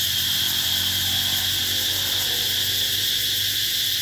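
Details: Brief burst of summer cicada sound at the Mỹ Luôn eco-tourism site, 2021: steady, intense high whine with a gentle low background murmur.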